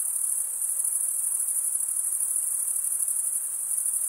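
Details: Short stretch of stridulating crickets, usually males, producing a continuous thin, very high buzzing trill with quick regular pulsation and steady loudness.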